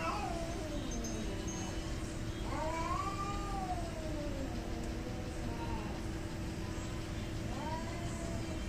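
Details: Fighting cats hostile to each other trade long, wailing caterwauls that bend upward, then sag and waver in pitch, with a sharper rising cry near the end. A dense low rumble and a steady hum run throughout.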